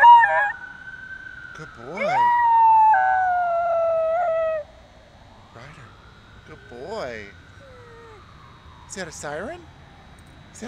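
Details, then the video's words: Domestic dogs howling in imitation of an ambulance siren: a loud, sustained wavering tone with harmonics that slides downward over several seconds, then fainter rising and falling howls, with a person asking whether it is a siren. "Dogs making ambulance sounds"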